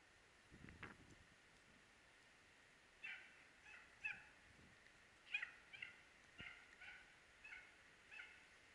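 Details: Dachshund chasing hare in Norrland, Sweden, heard at a distance: faint, irregular barks starting after three seconds, roughly nine in all, after some low thumps and rustling at the start.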